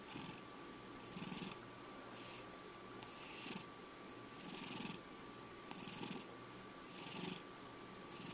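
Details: A five-year-old male pet cat purring indoors; rhythmic breathy purr swelling on each breath about once a second, with a steady faint electrical hum beneath.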